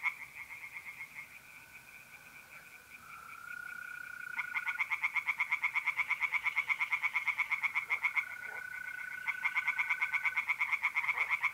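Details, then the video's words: Tree frogs singing by night in a pond in north-east Italy in mid-April: fast, regular pulsed croaking trains, several overlapping, with a steady high trill of mole crickets running underneath. "relaxing singing tree frogs in pond and trilling mole crickets by night"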